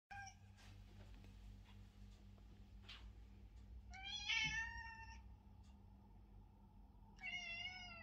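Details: Fox, a male ginger house cat, demanding to be petted indoors: two clear, drawn-out, rising-then-falling harmonic meows, the first lasting about a second midway and the second starting near the end, over a low steady room hum.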